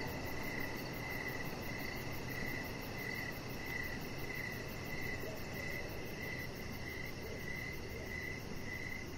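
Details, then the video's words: Crickets in the evening near a deck, giving clear high chirps in a steady rhythm about every three-quarters of a second, over a continuous softer insect drone and low hum. "3 Hours Of Chihuahua Puppy Laying On Deck with Cricket Sounds"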